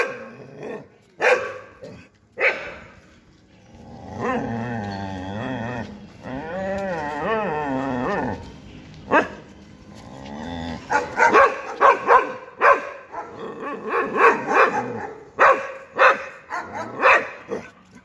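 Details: Two Labradors and one German Shepherd out walking and barking: sharp separate barks, then long wavering whining howls in the middle, ending in a rapid flurry of overlapping barks and growls.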